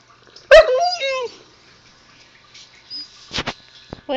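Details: Zoey the Husky puppy, talking to her owner, gives one short bent whine-yowl that falls then rises. It is followed by quiet, a few clicks and scuffs, and the owner's voice starting at the end.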